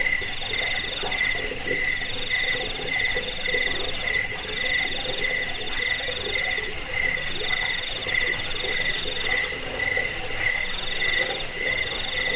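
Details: Cricket, called jangkik, sound played to drive off rats, as a sleep aid and for training songbirds; several layered, steady high-pitched chirping trains pulse rapidly and continuously at a few pitches, dense and unbroken throughout.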